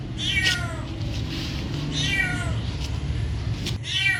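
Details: Three brief falling meows from a cat, one at the start, one near the middle and one at the end, set against a steady low droning background.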